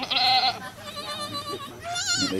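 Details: At a cow farm where a goat is giving birth, a sharp, bright bleat opens, then a lower sustained wavering tone follows, and a second quavering bleat rises near two seconds.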